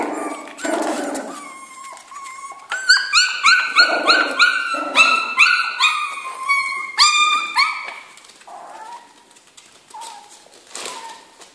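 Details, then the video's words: Jack Russell Terrier puppies in a kennel giving a run of high, rising whines and yelps, many overlapping in quick succession, tapering off to a few fainter cries near the end. "kennel di sopravento cuccioli"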